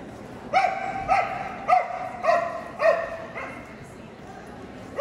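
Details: Löwchen barking at the AKC Löwchen Cut Down Sweepstakes, Kentuckiana Cluster, Kentucky Exposition Center, Louisville, Kentucky, 18 March 2022: five sharp, ringing barks about half a second apart, a pause, then one more, over a murmur of indoor hall chatter.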